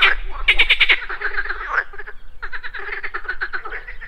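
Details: Morning chorus of pond frogs, with overlapping rattling croaks made of quick pulse trains, one loud burst followed by softer, longer rattles, over a low rumble.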